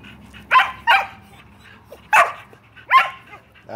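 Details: Pet Shelties demanding a game of ball, Bella and Beetle adamant and a little loud; four sharp, bright barks, the first two close together, then two more spaced apart, over a low background hum.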